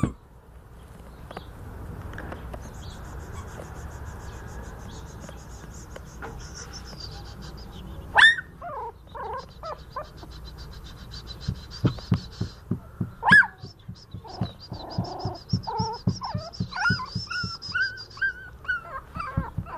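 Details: Newborn salt-and-pepper Miniature Schnauzer puppies, pedigreed litter born 31 January 2011. A low, quiet stretch comes first. Thin squeaky squeals and short rising-falling whines follow after about eight seconds, growing busier toward the end, mixed with soft tapping clicks.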